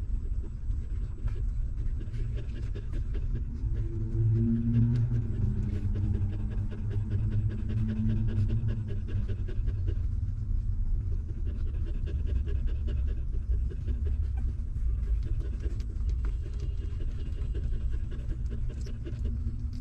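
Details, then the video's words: Stray mother dog nursing her hungry newborn puppies; continuous low rhythmic sucking and smacking, with a faint low droning tone in the first half. "Hungry Puppy Sucking Milk"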